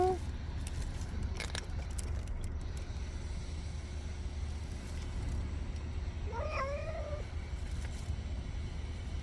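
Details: Stray cat meowing while eating food outdoors; one short harmonic meow rising then level near the sixth second, over steady low traffic rumble and faint background noise.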